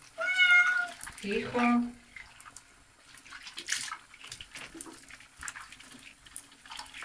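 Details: Pet cat, described as trembling, meowing while being washed in a shower: a clear, steady, higher meow followed by a longer, falling, strained meow, then running water and a woman speaking softly in Bulgarian.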